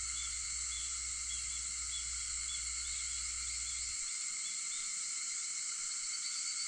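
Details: Cicadas heard at 4:50 in the morning on August 4, a steady, dense, high-pitched buzzing drone in several layered bands. A low hum runs underneath for the first four seconds, then stops.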